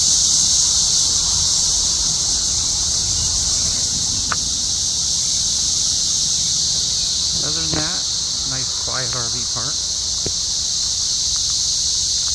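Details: Many cicadas in trees during an invasion at an RV park just outside Columbia, Missouri, in daytime when they peak, sing in a continuous, high, shimmering drone; a man's voice breaks in briefly.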